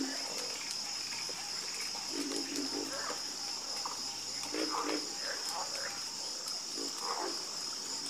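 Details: A night chorus of frogs: throaty, rattling croaks recur in short clusters, some overlapping, beneath a continuous high-pitched hum.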